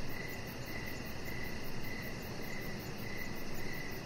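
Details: Evening cricket chorus heard from a deck, with short high chirps recurring in an uneven rhythm beneath a dense, even wash of hissing background noise.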